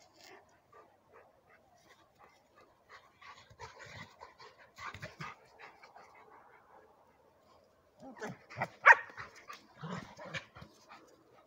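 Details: One of two German Shepherds, a 4-month-old long-coated one and a short-coated one, gives short, sharp barks in two bursts, with faint voices and handling noise around them.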